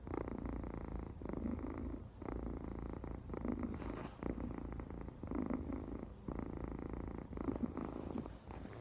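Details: Pet cat purring steadily, a low buzzing vibration rising and falling in regular breath cycles about one to two seconds long, with no other sounds present.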